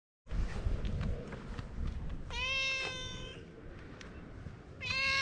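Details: Stray cats gathering on a breakwater during a wait for a ferry; after a second of rustling and wind, one cat gives a clear, drawn-out tonal meow, followed a moment later by a second shorter meow, with outdoor background noise throughout.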